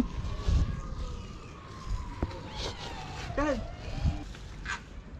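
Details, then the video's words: Hungry feral cats on a sidewalk meowing loudly for food: a few short, bending meows near the end, over street noise and a person calling the cats in Turkish. "Many Hungry Cats And Kittens Meowing Loudly"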